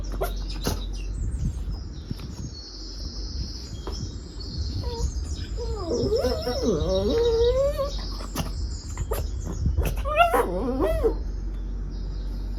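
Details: A Shih Tzu reacting to weird sounds gives wavering, whiny vocalizations that bend up and down in pitch, over a steady high hiss.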